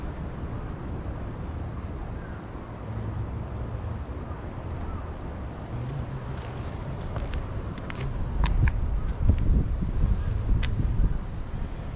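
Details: Low rumble of passing traffic in an urban street, with scattered faint clicks and light wind; no animal voice stands out.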